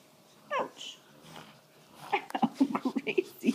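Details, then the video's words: Six-week-old puppies at play indoors: one brief descending whine, then a quick burst of short gruff yips and grunts, roughly three a second, with soft rustling between. "Puppies playing 6 weeks"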